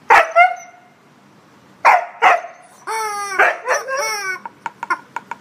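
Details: Indi the husky, indoors, squabbling with a chicken toy over her blanket, gives two sharp barks, a pause, two more barks, then drawn-out descending yowls breaking into quick yips at the end.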